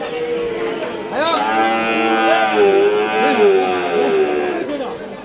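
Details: Cattle at a Qurbani cattle market in Bangladesh, 2024: a loud, drawn-out harmonic moo sweeping and wavering over several seconds, with market chatter and music faintly behind.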